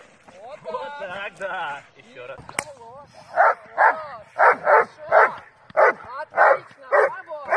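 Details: A male Doberman in IPO protection training with a helper barks in a rapid run of deep, forceful barks after a person speaks, recorded June 26, 2018.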